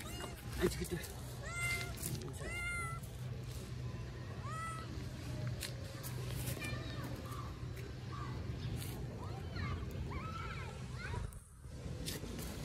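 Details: Hungry kitten asking for food, giving a series of short, arched, high meows, about five spread across the stretch, each rising then falling, over a steady low hum and soft background rustling.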